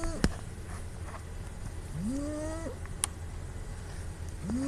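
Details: Snoring female house cat Puu, filmed asleep with a phone, lets out a long upward-gliding nasal whistle that levels off, then begins another rise. A sharp click and a steady low hum run in the background.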